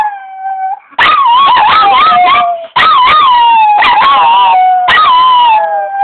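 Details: Pair of dogs joining a saxophone in a howling duet: after a soft opening note, three loud bursts of wavy, undulating howls ride over bright sustained sax tones.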